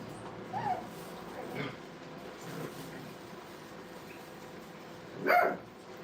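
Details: Playful Brittany puppies tearing around a training kennel give three short, evenly spaced yips, then, after a pause, one loud, piercing yelp near the end, against a quiet background hum.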